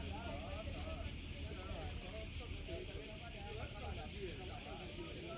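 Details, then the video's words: Cicadas, known in Greek as tzitzikas, calling from the trees near a beach in Greece: a dense, steady high hiss fills the whole stretch without pause, with people talking throughout underneath. "Cicadas Everywhere in Greece!!! | Цикады в Греции везде!!!"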